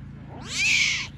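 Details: Tiger cubs abandoned by their mother, in a lion and wild animal park near Belogorsk, Crimea. A single high, strained mewing cry arches up and then falls away over about half a second, with a low steady hum underneath.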